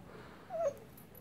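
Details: English Springer Spaniel whimpering while being asked to sit, too eager for his treat to do tricks; a single brief, thin, high whine that wavers slightly before dropping away, over a quiet indoor background.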